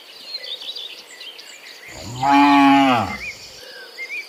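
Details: A cow gives one long, loud moo that swells and then falls away, with faint birds behind, as dozens of cows are herded home from the fields to the pen in the afternoon.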